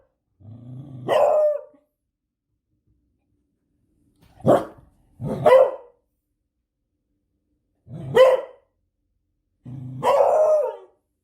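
A Beagle gives deep, rough barks, some with a growling onset, in separate bursts.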